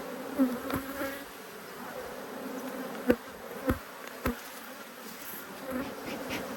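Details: Cross honey bees, repeatedly flying at the beekeeper during a hive inspection on 5 March 2022, keep up an even, droning buzz. Several sharp clicks and taps from handling the frames punctuate the hum.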